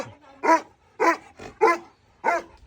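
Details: Young dog that has grown up, barking at a person arriving outside while standing guard; four loud, separate barks spaced roughly half a second apart, each short and rough-toned, with near silence between.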